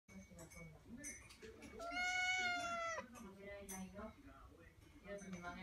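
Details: Indoor female cat meowing to meet her brother waiting outside behind a glass wall; one long, drawn-out meow lasting about a second, with people talking softly before and after.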